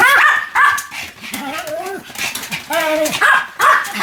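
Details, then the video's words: Sam, a Pomeranian, spins rapidly about 175 times on 1 November 2015 and gives high, whiny yapping barks with wavering, bending pitch, several short bursts close together, with human voices mixed in. "ポメラニアン サムちゃんの高速回転 約175回 犬の鳴き声"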